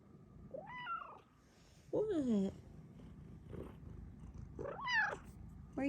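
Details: Female house cat wanting cuddles from her owner, giving four loud chirping meows spaced one to two seconds apart, some rising then falling, one sliding downward, over a low purr and a little human speech.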